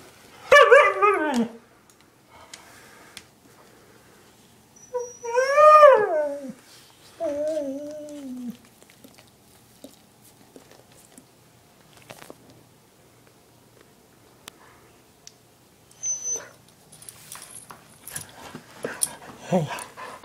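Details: From a household pair of dogs, the one-year-old husky Chinook and the eight-year-old German shepherd mix Lola: three separate drawn-out cries, the first two falling in pitch and the last a lower wavering moan, with quiet stretches and faint shuffling between.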